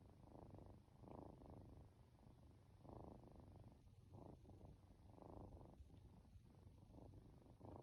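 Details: Drowsy two-month-old Norwegian Forest Cat kitten being petted indoors gives a continuous low purr, rhythmic breath-linked surges of rumbling roughly each second with brief quieter gaps, calm background.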